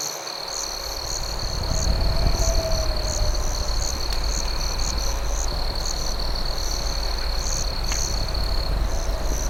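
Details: Nighttime crickets at a campfire make a sustained high, thin trill broken by fast repeated chirps, heard over the heavy low crackle and roar of burning wood.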